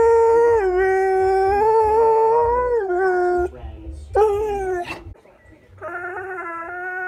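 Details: Four-year-old male borzoi howling with its owner during a morning chat, the owner's own howling removed: long sustained harmonic howls, steady then gently wavering, breaking briefly near four seconds before two more drawn-out tones.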